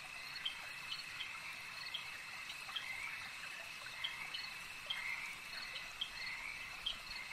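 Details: Frogs at a lake keep up a continuous shrill trilling chorus, punctuated by sharp clicking calls about every second, with a faint trickle of water in the background.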